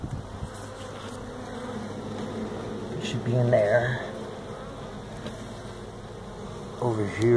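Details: Feral honey bees swarming from their tractor-tire hive at a Mission, Texas citrus orchard during removal; dense, steady low hum swelling louder midway and at the close, with faint talk behind.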